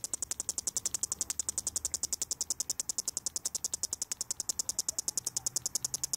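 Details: Cicada lying on the ground with its head gone, nerves still driving its sound: a fast train of sharp, high, rasping clicks repeating over three times a second, evenly spaced.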